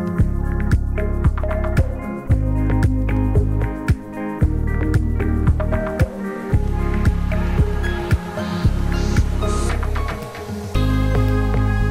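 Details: Upbeat instrumental music with heavy bass beats and a few squishy effects plays throughout, with no animal sound.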